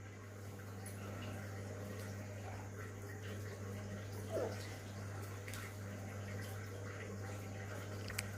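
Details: Quiet indoor room tone with a steady low hum, a soft trickle of water and one brief knock midway; no animal voice stands out.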